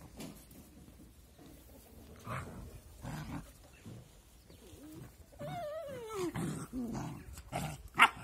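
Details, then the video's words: Two puppies playing together and acting angry; soft, low growls come in short bursts, then a sliding whine rises and falls near the middle, with a sharp click near the end over quiet background noise. "Two cute but angry puppies are playing together"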